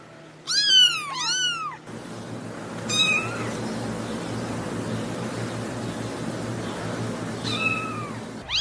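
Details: Newborn kittens give a pair of shrill, downward-curving mews, then a steady hiss of background noise with a few more high, arched cries breaking through near the end.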